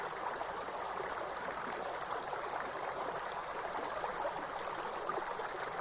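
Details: Forest grasshoppers sing a continuous high-pitched whine that barely varies, layered above the loud broadband rush of a nearby waterfall and stream.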